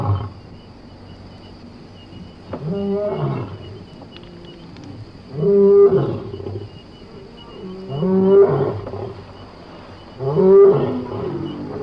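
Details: A lion in Somali wildlife gives deep, rough roars, each a few seconds long, repeated about every two to three seconds.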